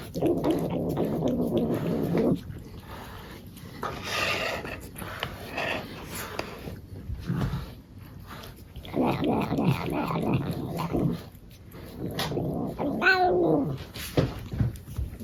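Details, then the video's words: Male pet cat being brushed indoors, giving a low, rough, droning growl for about two seconds, then intermittent grumbling bursts mixed with brushing and handling rustles, ending in a short rising squeal. "My cat making funny noise when we brush him"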